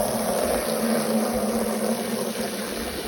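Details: Steady rushing, pump-like mechanical noise with a low hum throughout; no animal sound is heard.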